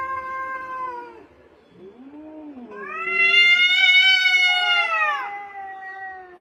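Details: Cat meows in sequence: a level, soft meow, a short low rising-falling mew, then a loud, long strained meow swelling in the middle and tapering off.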